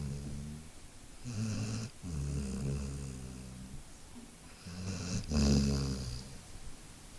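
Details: Route, a dog, asleep and snoring after tiring out from play: deep, rumbling, harmonic snores drawn out over long breaths, one near the start and a louder one in the second half, with a quiet gap between.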